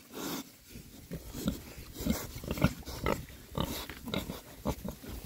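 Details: Six male rare-breed Oxford Sandy and Black pigs foraging happily in winter between storms; short snorting grunts and oinks repeat roughly twice a second at an uneven rhythm, over rustling and low outdoor rumble.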